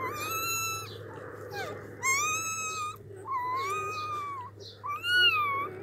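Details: Newborn puppy, eyes still closed, gives four drawn-out whining cries about a second long each. Each climbs, then holds a bright, slightly wavering pitch, separated by short gaps over a faint low hum.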